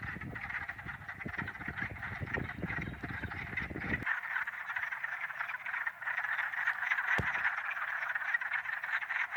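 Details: Wood frogs calling in early spring, sometimes with ice still on the pond: a dense, steady chorus of hoarse, duck-like quacks. Low rumbling noise in the first four seconds, then clearer calling and a sharp click near the end.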